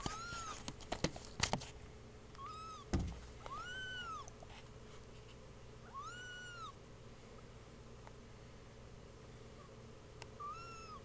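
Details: Meows from two-week-old kittens: a handful of high, bowed, whining cries roughly every two seconds, preceded by a burst of clicks and knocks in the first seconds, with faint background hum.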